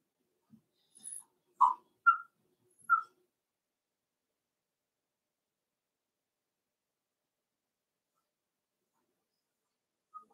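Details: Cavalier King Charles Spaniel puppies playing in an indoor puppy pen, raised inside a home: a quick burst of short, squeaky yelps and yips in the first three seconds, then near silence until one faint closing squeak.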